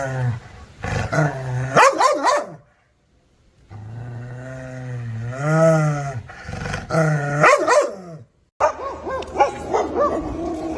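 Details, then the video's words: Deep sustained growling from an angry dog facing the camera, interrupted by harsh double and triple barks. A wavering rising snarl follows a silent pause, then a final run of choppy barks. "ANGRY DOG BARKING"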